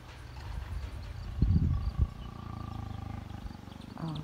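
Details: Lion in Taigan Safari Park, Crimea, recorded 22 May 2019 in a flowering meadow; a deep low rumbling roar surging around the middle, with a quieter grumble continuing afterward.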